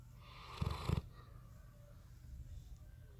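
A Bloodhound snores in deep, rumbling bursts, with a louder pair of snorts early on.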